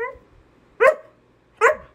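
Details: Pet husky indoors vocalizing: two short, loud, harmonic woo-like barks about a second apart, after a fading tail of an earlier call.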